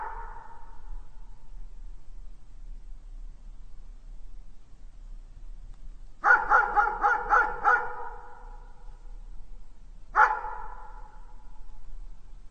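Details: Dog barking for real: a lone bark fades at the start, then a rapid run of five barks follows after a pause, and one final bark sounds near the end; faint steady hum underneath.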